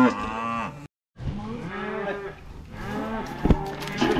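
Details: Cows being driven home along a road: several overlapping lowing moos from more than one animal, a brief gap of silence, then more moos mixed with people's voices and a sharp knock.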